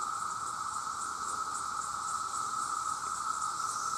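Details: Vast chorus of male cicadas, millions calling out to attract mates: a loud, unbroken droning buzz holding one steady pitch, topped by a faint shimmering hiss with slight pulsing, and no other sounds.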